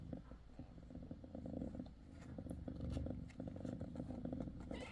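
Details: Mother cat Bassy, six days after birth of her five kittens, purring continuously in a low, pulsing rumble with soft rustling and small clicks over it.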